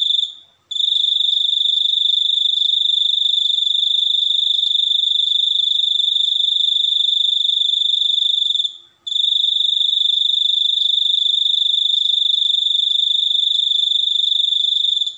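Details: Cricket trilling loud and high, a fast pulsed buzz that runs for long stretches, breaking briefly near the start and again around nine seconds before resuming unchanged.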